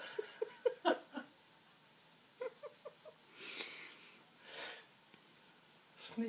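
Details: Sphynx cat named Francisco, irritated, whining because he is not offered an arm to attack indoors; short nasal chirping whines in two quick bursts, then breathy exhalations, quiet room.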